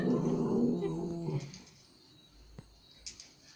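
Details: A Pomeranian playing with a Japanese Spitz in Kathmandu, Nepal, gives a low, rumbling play growl lasting about a second and a half, fading to quiet room noise with a faint click.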